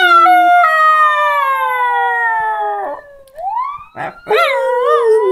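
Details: Jack Chi dog howling in response to a siren sound: a long smooth falling tone, then a rising swoop after a pause, ending in wavering, warbled howls with short noisy bursts in between.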